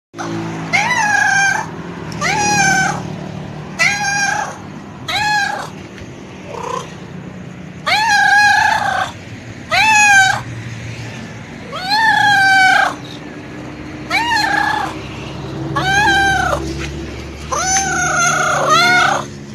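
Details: ['Hungry stray cat meowing desperately for food near a roadside, a run of about a dozen drawn-out plaintive meows spaced one to two seconds apart, each wavering and slightly falling, with low traffic hum beneath.']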